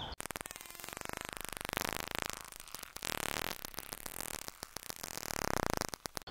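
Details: A white-beaked dolphin (Lagenorhynchus albirostris) in UK waters gives rapid click trains that blur into buzzing bursts, with brief tonal whistles between them.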